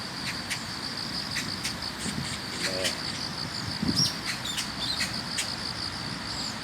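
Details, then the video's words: High, evenly pulsing trill from a chorus of grass insects on an autumn morning walk to work, with scattered short clicks, a person's voice and brief bird notes mixed in. "가을이 오는 소리,풀벌레 소리 합창"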